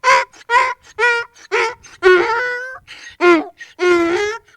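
A donkey brays in a run of harsh, honking hee-haw bursts.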